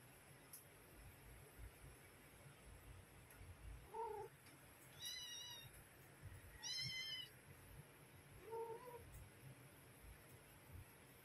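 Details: Mother cat calling her kittens to feed them: two short, lower-pitched chirping meows frame two higher, thin, drawn-out meows, about four calls within eleven seconds over a constant low rumble.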